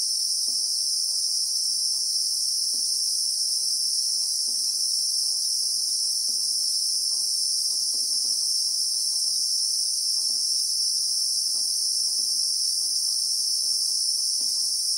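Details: Christmas beetle (Anoplognathus) droning in the South African bushveld, heard in real time: an intense, steady high-pitched whir held without a break, with light irregular ticking sounds underneath.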